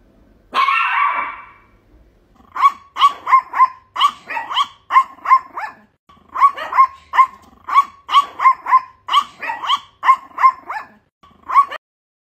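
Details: A little Chihuahua barking at a cat gives a long, strained, growl-like opening yap, then rapid bursts of shrill, high-pitched barks.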